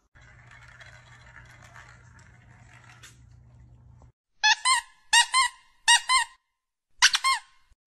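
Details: Kittens in a home compilation give five short, high, squeaky mews in quick succession, each bright and slightly bending in pitch, following a few seconds of faint low hum and room noise.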